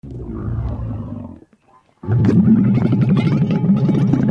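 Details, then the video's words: Camel call: a deep, rough, gurgling roar in two bursts, the first fading out after about a second and a half, the second louder and more ragged, with a short silence between. "Camel - Sound effect"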